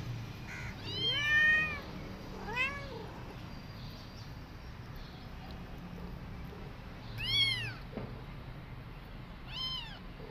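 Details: Cats meowing as the mother returns to her kittens after two days and feeds them milk: two meows close together early, then two more, shorter and thinner, spaced several seconds apart against faint indoor hiss.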